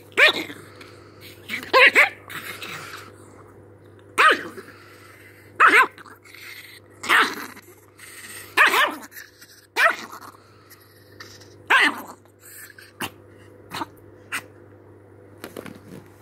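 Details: Angry chihuahua barking repeatedly in short, high, sharp yaps at irregular intervals, about a dozen over sixteen seconds, some in quick pairs, later ones fainter and clipped, over a constant low hum.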